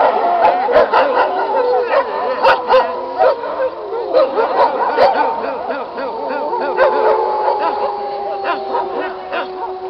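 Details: Wolf pack, now all passed away, howling together in an old recording: several long overlapping tonal howls, some steady, some gliding, laced with yips and short barks throughout.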